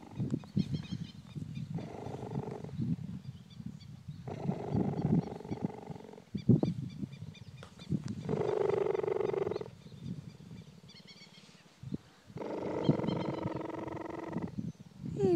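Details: A cheetah relaxing in human company purrs like a kitten, with a deep, steady rumble that pulses evenly, like a large house cat.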